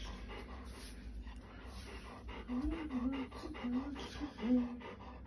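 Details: Golden Retriever, a pet dog indoors, looking unhappy while made to wear headphones; soft wavering whines rise and fall in short bursts over a couple of seconds amid light panting breaths and quiet room noise.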